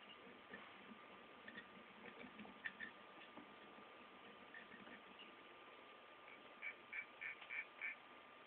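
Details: Aggressive hermit crabs fighting in a cage, one newly added crab trying to pull another out of its shell; the chirping is thought to express anger and irritability. Faint, short high chirps, about five quick ones near the end, over a low steady hiss.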